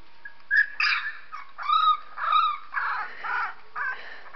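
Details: Pet dog reacting to sounds of a 3-week-old puppy with a run of about eight short, high, whining yelps and whimpers, some arching up and down in pitch, spaced roughly half a second apart.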